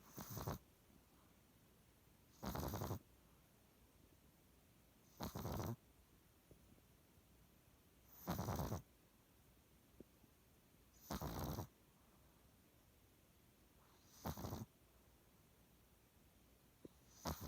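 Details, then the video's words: Pug asleep, snoring in an even rhythm: rough, noisy snores about every three seconds, each lasting around half a second, separated by quiet breathing and a low background hiss. "パグ いびき"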